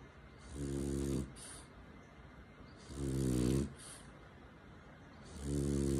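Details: Cuddled French Bulldog asleep in its owner's arms, snoring loudly indoors; three rough, vibrating inhaled snores roughly every two and a half seconds, each ending in a short breathy puff.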